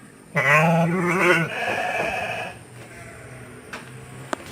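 A sheep gives one long, wavering, nasal bleat lasting about two seconds, trailing off into quiet with a few faint clicks and low background rumble.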